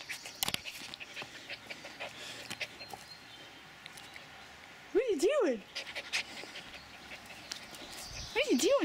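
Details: A Shetland Sheepdog puppy excited to see a returning family member, giving two wavering, warbling whines, one at five seconds and another at the end, amid panting and a woman's affectionate talk.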